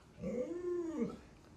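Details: Indoor Alaskan Malamute, pet dog, utters a short arched whining moan under a second long, rising then dropping, faint against room background.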